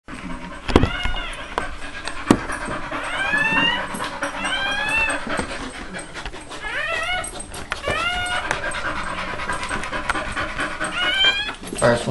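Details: Newborn American Pit Bull Terrier puppy, first-born of mother Nina's first litter, minutes after birth: thin, high squeals that arch up and down, repeated every second or two, over sharp handling clicks and rustling.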